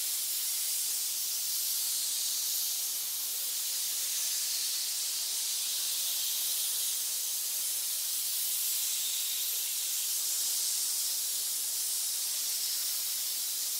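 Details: Pit full of snakes giving a continuous hiss, an even airy rushing sound that holds steady with only slight swells in loudness, with nothing else audible.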